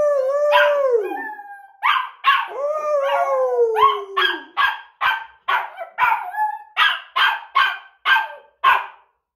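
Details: A young pet puppy, challenged in play to howl like a wolf, gives two wavering, falling howls. A run of sharp, evenly spaced yips and barks follows, about two every second, each dropping quickly in pitch.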